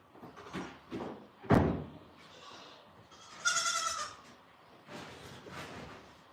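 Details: Goat on a farm bleating in a short harmonic burst near the middle, with thuds, rustling and faint bleats around it.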